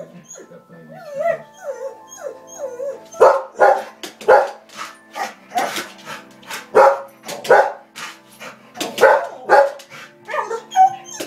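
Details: A Rottweiler watching television barks loudly and harshly, irregularly about once or twice a second, after wavering, sliding whine-like tones that may be its whining or sound from the television.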